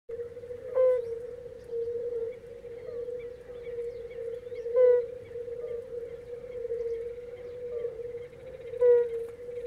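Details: European fire-bellied toads sing, giving soft, mellow hooting notes over a steady humming chorus of many calling toads.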